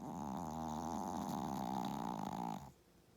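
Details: Loud buzzy snoring from a pet dog dozing after hard play: one sustained, rough, vibrating breath of nearly three seconds that stops abruptly into near silence.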